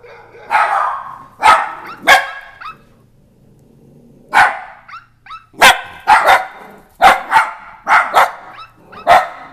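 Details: Dachshunds at home barking at apps on a phone, giving sharp barks in clusters of two or three with a short lull near the middle, faint high electronic chirps between barks.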